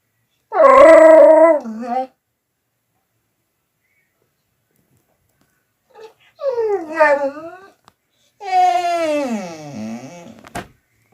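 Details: A dog making strange noises: three drawn-out tonal whining howls, each one to two seconds long, wavering and bending in pitch, separated by long silent gaps.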